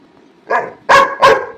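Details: Pet Labrador Retriever named Barfi, waiting for its food to cool, lets out a short yip followed by two loud, abrupt barks in quick succession, under a second apart.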